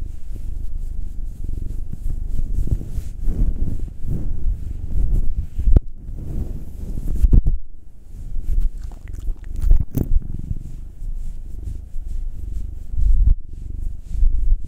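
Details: Massaged house cat purring, one of two cats, a 9-year-old black male and a 2-year-old tortoiseshell Munchkin female. Rumbling purr rising and falling in waves with breaths, broken by a few sharp handling clicks and brief pauses.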